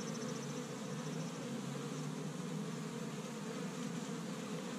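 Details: Spring activity at an established Michigan honey bee hive on the first warm day, bees taking pollen from tree buds; heavy low humming drone with a faint high whine early on, steady throughout.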